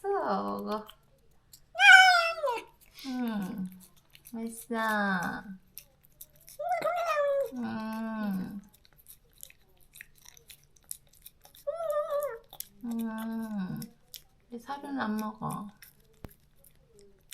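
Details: Moka, a female stray cat recovering from neutering, cries daily for her separated companion and tries to go outside; drawn-out arching meows recur between stretches of lower, voice-like sounds.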